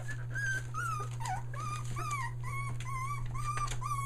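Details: Australian Shepherd puppies one day short of three weeks old, near Mooresville, North Carolina, finding their voice: a run of high, thin whines that slide up and down in wavering arcs, one after another, over a steady low electrical hum.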